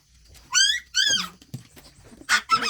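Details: Shih Tzu household on a morning around seven, the dogs playing and eating: two rising, tonal whines, then short yips, while a woman chats to them in Tagalog.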